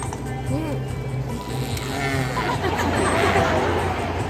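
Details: Killer whale. Killer whales trade arched, squealing calls that sweep up and down, broken by brief high whistles. These calls keep the pod in contact, and each pod uses its own dialect, over a low background hum and faint music.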